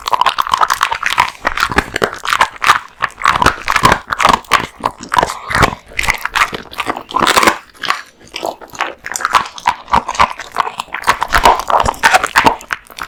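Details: Kotetsu, a male American Bully dog born in 2016, eating a big lunch of raw meat and bones indoors: dense wet crunching and biting, rapid irregular chomps with brief pauses, no other sounds.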